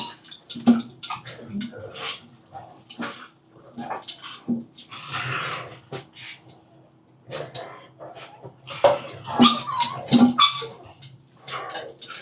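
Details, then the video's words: Pugs at dinner time, giving short nasal whimpers and snuffling yips in scattered bursts, mixed with sharp clicks and clatter from feeding, with quieter stretches between the louder bursts. "pugs dinner 巴哥晚餐"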